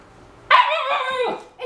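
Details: Eleven-week-old Siberian Husky puppy answers a question from its owner with a short wavering vocalization, a rising then falling howl-like yodel lasting about a second, heard as sounding like words; a woman's speech surrounds it.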